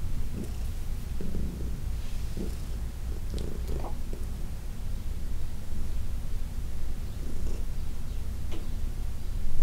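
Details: Senior cat Heidi, fourteen years old and once arthritic, purring under massage on June 17, 2021; a low, even rumble with faint intermittent swells and occasional soft rustles.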